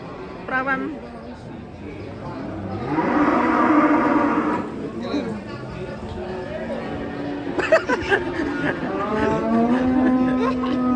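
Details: Cow in a mask, raging while being brought down off a truck, gives a long, low, steady moo in the final seconds after stretches of loud human chatter, shouting and bustle.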